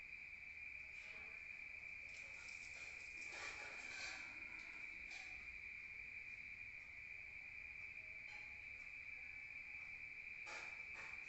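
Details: Crickets at night in the countryside, heard from inside: a steady high trill continues while several short bursts of crackling or tapping noise cut in, clustered early and again near the end.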